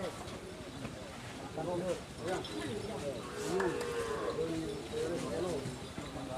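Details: Madura racing bull raging during karapan sapi practice at the Asemanis track, Pamekasan, Madura, East Java, Indonesia; drawn-out lowing moos rise over a busy background of crowd voices and shouting.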